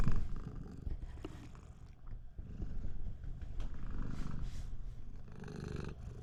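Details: Siamese cat, a pet indoors, purring very loudly to stop its owner from taking a bath; a steady low rumbling purr runs throughout, with faint rustling and brief handling noises.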